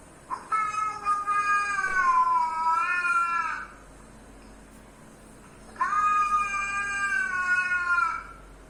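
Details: Domestic cat reacting to other cats' sounds: two long, drawn-out wavering meows, each lasting about three seconds, with a steady tone that dips slightly in the middle, separated by a few seconds of quiet.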